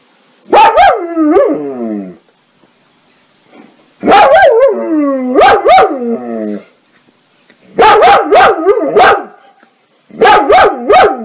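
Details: Happy dogs barking for fun while playing: four bursts of loud, harmonic barks mixed with drawn-out, falling yowls, each burst about two seconds long and separated by short silences.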